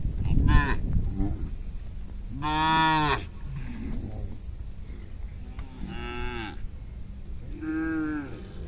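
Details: Hundreds of tame herded cattle crossing a small bridge on their way home to the pen; three long, deep, harmonic moos, each under a second, spaced a few seconds apart, over low trampling and background rumble.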